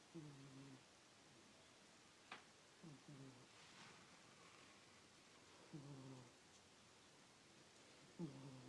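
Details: Miss, a pet cat, snores while sleeping indoors: low, rough harmonic snorts roughly every two and a half seconds, each a short buzzy breath, with one sharp click midway and a quiet room hiss between breaths.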